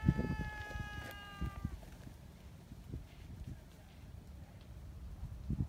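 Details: Tabby community cat, an affectionate street cat that loves being petted, gives a clear, steady meow lasting about a second and a half. Soft low thumps and handling noises continue afterward.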